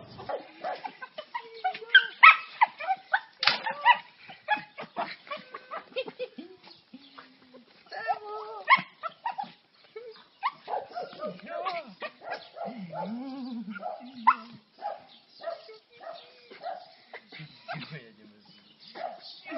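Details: Dog excited to see its owner: rapid, irregular squeaky yelps and whines, some sliding up and down in pitch, many per second in bursts, with a person talking and some music.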